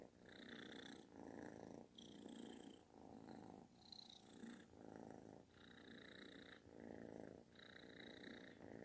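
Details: Kitten seeking affection with a booming purr that sounds like snoring; steady rumbling pulses alternate with breathy pauses about once a second, a thin high whine riding on some breaths.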